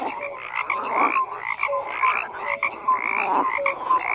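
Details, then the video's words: Frogs croak in a thick chorus of rapid, grating pulses. Brief clear piping notes pop in and out between the rasps. The chorus dips for a moment about halfway through. "FROGS CROAKING"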